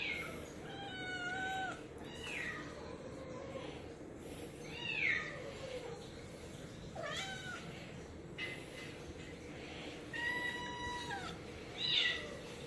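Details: Pet cats from a four-cat household on bath day, 2 September 2018, a day they dislike: scattered falling meows, fairly quiet, spread across the stretch over a steady room hum.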